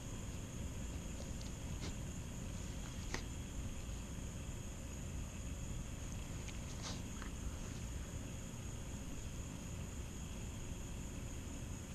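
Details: A steady low rumble of background noise with a few faint, isolated clicks; no animal voice stands out.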